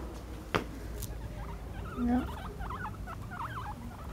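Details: Several pet guinea pigs chasing one another in play, follow-the-leader style: short wavering squeaks and chirps repeated in quick bursts, with scampering patter underneath and a person speaking Spanish nearby.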